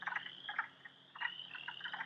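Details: In spring, chorus frogs give rasping, pulsed trills, like a thumb run along a comb, from a pond over a high, steady frog chorus that includes wood frogs and spring peepers.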